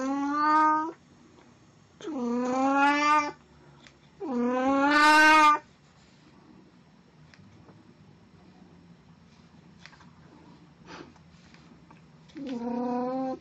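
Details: Four insistent, drawn-out meows from Puran, a domestic cat in Snow White cosplay recorded 1 April 2017; three come about every two seconds, the third loudest and harshest, then a long quiet pause before the last.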